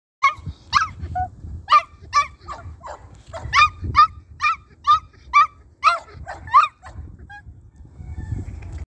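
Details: Two miniature pinschers: a run of sharp, high, yappy barks, roughly one every half second to second, with low rumbling handling noise underneath and quiet gaps between bursts.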